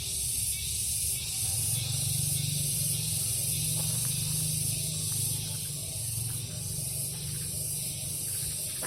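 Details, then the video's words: Garden cicadas in the morning make a continuous sizzling high buzz that pulses in waves, while a loud low droning hum runs underneath. "Orchestrasi Tongeret"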